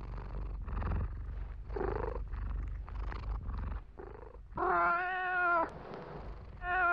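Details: Domestic cat, American, purring in a small indoor space: a low rattling purr with soft chirps, breaking into one loud, sustained meow lasting about a second, then the start of another.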